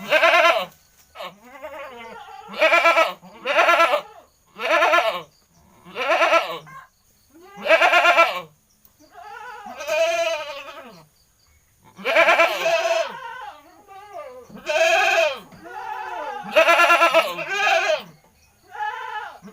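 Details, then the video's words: Noisy goat bleating over and over: a run of about fourteen short, wavering, nasal bleats at uneven intervals, some clipped and some drawn out with a shaky quaver. "suara kambing cerewet"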